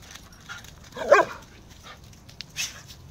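A Husky-German Shepherd mix gives one short, mid-pitched bark with a slight whining edge.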